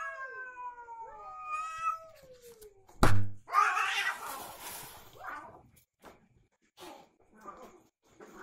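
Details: Cats fighting: a falling, wavering yowl for about three seconds, then a sudden loud thump and a burst of hissing scuffle, followed by quieter rustling and scattered knocks.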